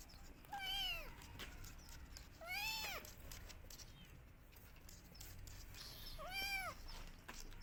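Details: Kittens crying for their mother, meowing loudly as they search for her: three clear, rising-then-falling meows with rich harmonics, spaced roughly two to three seconds apart, over a faint background hiss.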